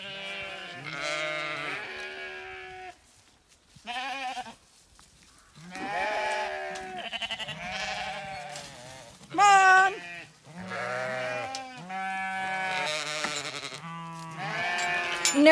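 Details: Zwartbles ewes on a County Kilkenny farm in Ireland being moved to the long acre while lambs romp along wanting to join them; many overlapping harmonic bleats, high and low, in quick succession, with a woman calling them.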